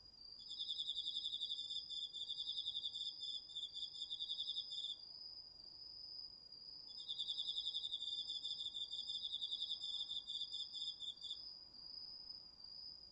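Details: Crickets with other autumn insects singing after dark in a home garden field, DR-40X recording: two long bursts of fast, rattling pulsed trill lasting about four seconds each over an unbroken, shrill sustained tone.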